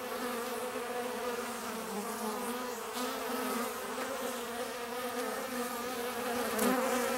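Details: Bees drinking water fill the air with a continuous droning hum, many wings buzzing together in steady layered tones, one louder buzz swelling near the end as a bee passes close.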